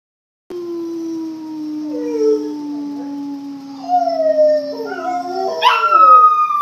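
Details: Three pet Rottweilers howling: a long steady low howl slowly sinking in pitch, joined after a few seconds by wavering higher voices that rise into a loud, bright, overlapping chorus at the end.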